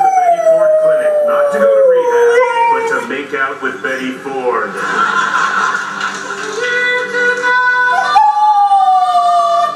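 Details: A pet dog howling along to a television comedy segment, long sustained wavering howls sliding slowly downward, with the show's speech, music and laughter underneath.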